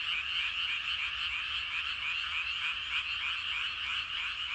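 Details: Many frogs calling together in rice paddies in the evening, a dense continuous chorus of rapid, overlapping croaks pulsing about three times a second, steady and unbroken throughout.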